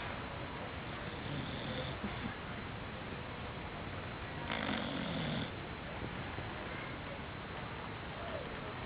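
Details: Dog named Marshall asleep on a couch, giving one long rasping snore midway, about a second in length, amid faint breaths and constant background hiss.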